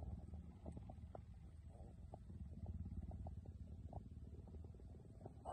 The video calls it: Cheetah Purr